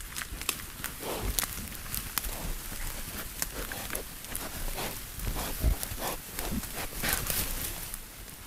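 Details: Wild boar, several young boars, grunting in low, rough bursts, with rustling and scuffing footsteps nearby.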